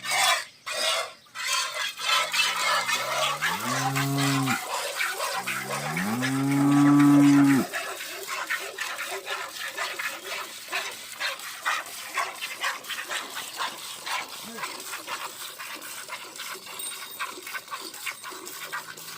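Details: Jersey cow offered for sale on a dairy farm, giving two long, deep, droning moos with rich harmonics, the second rising slightly and swelling louder before breaking off, followed by steady rustling background noise.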